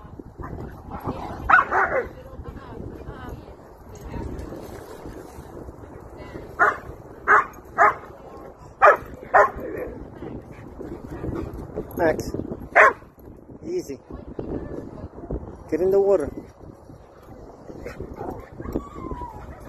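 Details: German Shepherd greeting friends at a playground, excited and happy: a burst of loud barks in the middle section, then a drawn-out wavering whine, with people talking in the background.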